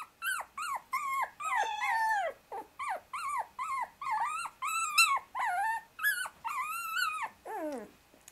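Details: Shiba Inu brother puppy, aged 24 days, wriggling to escape from under two sisters lying on him; an unbroken run of some sixteen shrill, wavering whines ending in a long, drooping cry.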